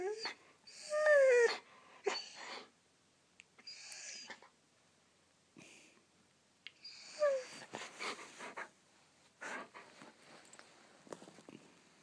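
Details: Young Siberian Husky playing indoors before bedtime to burn off energy: short breathy huffs and wheezy bursts, with two brief whining yelps that slide downward, separated by quiet gaps.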